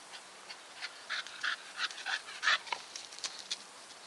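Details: Staffordshire Bull Terrier panting in rapid breathy puffs, about three to four per second, some with a faint whine-like tone.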